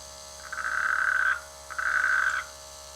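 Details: Frogs in village rice fields in the rainy season; two drawn-out droning croaks, each close to a second long, the second beginning after a short pause, with a faint low background hum.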